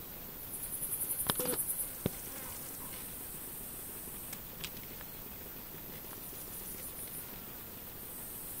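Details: Bush cricket Pholidoptera frivaldskyi, a female, recorded 5 July 2023 in a humid meadow by Kosari, Cherkasy Oblast, Ukraine: a high-pitched run of about a dozen rapid buzzy pulses, growing louder then stopping, followed by a few dry clicks and quiet hiss.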